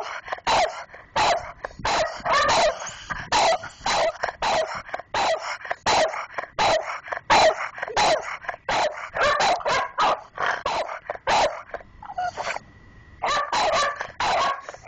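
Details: Sidney and Keane, two house dogs guarding the mail box slot, bark persistently with Sidney in the lead: rapid, harsh barks in uneven runs, a brief lull near the end before the barking picks up again.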